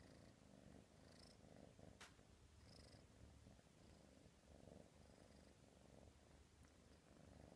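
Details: Soft continuous purr of an F3 silver spotted Savannah girl kitten, rising and falling in a slow breathing rhythm, with a couple of faint clicks.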